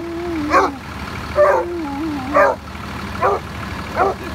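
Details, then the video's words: Basset Hound greeting sanitation workers with short wavering baying howls, five bursts roughly one second apart, each sliding downward in pitch, over a steady vehicle engine rumble. "Basset Hound Greets Sanitation Workers"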